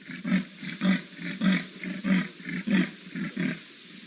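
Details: Male leopard in Djuma game reserve, Sabi Sand, South Africa, on an evening drive on 7 July 2017, marking territory by urine spraying and cheek rubbing. He gives about seven deep, rasping sawing strokes, one roughly every half second.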